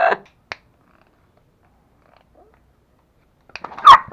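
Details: Aggressive pet toy Pomeranians Pomo and Pomy at home in Kathmandu, Nepal: a short sharp yap opens, a long silence follows, then a sudden loud snarling bark burst with growly edges closes the moment.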